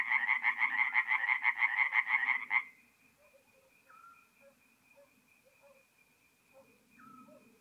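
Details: Tree frogs at a forest pond at night in north-east Italy, mid-April, give a loud rapid pulsed burst for under three seconds, then stop, leaving a faint steady hum and a few scattered soft calls.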